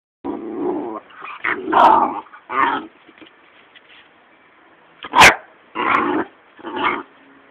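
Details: Patterdale terrier pup barking at a caterpillar: a run of short, rough barks mixed with low growly sounds, several in quick succession with brief pauses, one sharp yelp near the end.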